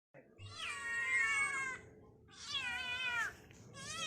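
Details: Pet kittens meowing: two long, drawn-out, slightly wavering meows, then the start of a third, with a faint low background hum.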